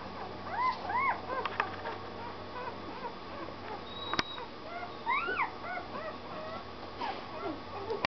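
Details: Puppy giving thin, high whimpering whines: arched rising-then-falling notes clustered in the first second and again near five seconds, with a few softer whines between, over a steady low hum and faint background noise.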